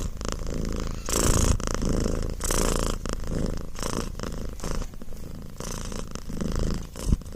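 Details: Pet cat purring close up, a deep steady rumble pulsing with each breath, punctuated by short rustling and handling noises.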